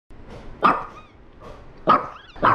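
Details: Small elderly rescue dog, female, adopted at ten years old, barking to signal it is time for a walk: short sharp yelps, three loud ones at uneven gaps with softer barks between, indoors.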